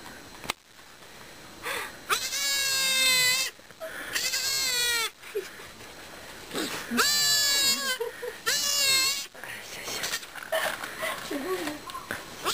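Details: Newborn goat kid, the third kid, born in the Fukushima no-go zone in Japan, bleating loudly in long wavering, harmonic-rich cries about a second long, repeated several times with short pauses; quiet Japanese speech between the calls.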